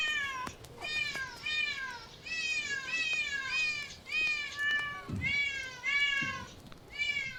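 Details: Cat giving a steady run of high, bright meows, each one a short arc that rises slightly and then falls, repeated about every half second with brief gaps. The background is quiet.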